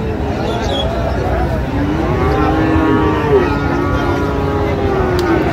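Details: Cattle at Raniganj livestock market in Dinajpur, Bangladesh, on 14 August 2025, where Friesian and crossbred bull calves are traded; a long, low, drawn-out moo with a slightly wavering pitch rises over steady crowd murmur and engine hum.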